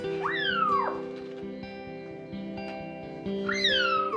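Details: A one-month-old rescued kitten, found left on a roof in blazing sun, meows during her first bath, cleaned because she had fleas and was very dirty; two high, thin meows rise then slide down, about three seconds apart, over soft music.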